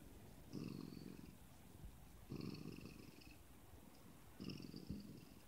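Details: Siamese cat; meow; refusing, saying "no" to its owner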